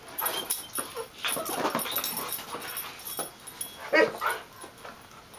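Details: Three dogs, a terrier mix, a golden retriever and a chocolate lab-weimaraner mix, play together energetically, with scuffling noises, short whimpers and a sharp yip near four seconds.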